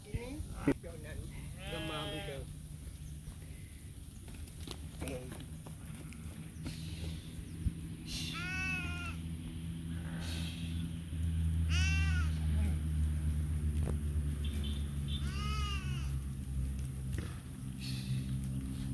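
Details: Goats bleat in wavering, nasal, echoing cries every few seconds beside a road in India, with sheep also present, over a steady low road rumble.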